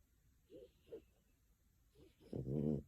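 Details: Pico, a female French Bulldog living in Tokyo, naps with eyes moving and paws twitching; soft snuffling breaths come at roughly half-second and two-second marks, then a louder, rough, tonal snore swells for about half a second in a quiet room.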